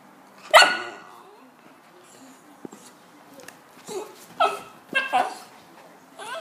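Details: West Highland white terrier giving a sharp single bark, then after a pause a few more short yappy barks close together, with soft rustling between.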